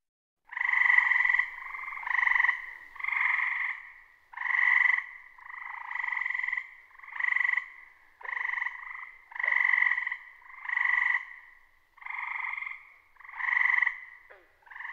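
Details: A tree frog in a wooded area of Lincoln, Massachusetts, heard on summer nights, gives musical, bird-like trills, each about a second long, repeated steadily.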